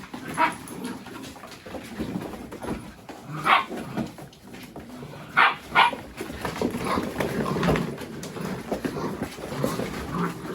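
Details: Mini Goldendoodle puppies playing with boxes, chasing each other and rolling around together; short sharp yips and barks burst out now and then, loudest near the middle, over a steady scuffling, rustling background of play.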